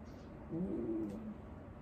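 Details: Elderly dog Wanta, cared for at home during a morning routine and prone to vocalising whenever awake, lets out one short, low, level moaning groan lasting under a second in a quiet indoor room.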